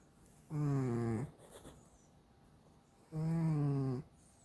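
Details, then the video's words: Pet cat snoring loudly while asleep at home: two rasping, harmonic snore bursts, each under a second, with a low steady drone and a slight downward slide, spaced about two and a half seconds apart in a quiet room. "코곯아대서 잠못드는 집사!😎a snoring cat"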